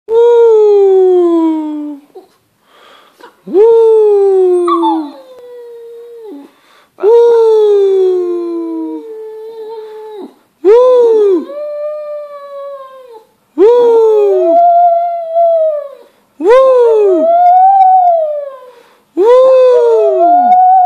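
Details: Shih Tzu singing: a series of long howls, each rising sharply and then sliding down or holding steady, about every two to three seconds. Later howls bend upward at the end. Short silent gaps separate them, with no other sounds.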